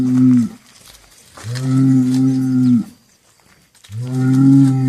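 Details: Three deep, steady moos from cattle, the first brief, the second long at over a second, the third starting near the end, with quiet gaps between them.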